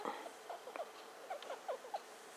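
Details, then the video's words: Star, a female pet hamster just over two years old, squeaking as she sniffs around indoors: a run of short, soft, chirpy squeaks, some rising and some falling, scattered irregularly over about two seconds against a low room hiss. "A cute squeaking hamster"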